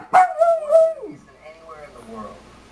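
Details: Miniature dachshunds, excited and restless before dinner time, give a drawn-out tonal bark lasting about a second that slides downward at its end, followed by softer whining sounds and a woman's voice talking to them.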